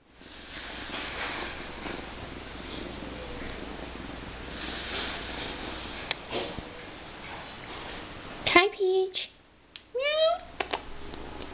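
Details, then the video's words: Nine-week-old foster kitten purring loudly while sitting on a person's lap: a steady, soft, rumbling hiss for about eight seconds, then a few short rising-and-falling voiced calls near the end. "9 Weeks Old Purring Kitten"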